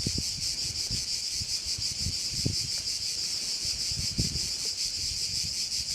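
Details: Shrill cricket chorus by a bay on Korčula. The high buzzing is continuous and finely pulsed, while gusts of wind and soft low knocks come and go in the background.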